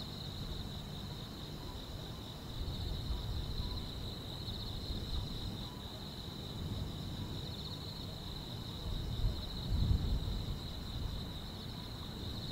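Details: Grass insects chirping on a summer night: a steady, high, shimmering trill runs without pause over a constant low rumble, with a slight swell in the background noise near the end.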